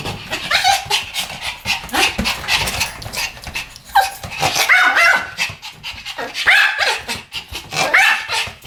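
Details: Pomeranians barking together in a duet, a continuous stream of high, rasping yaps with a few louder ringing barks standing out, little pause between them.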